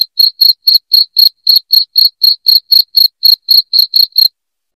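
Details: A loud cricket, used to scare rats away indoors, gives bright, shrill chirps repeated about four times a second, the series ending abruptly just before the close, background silent.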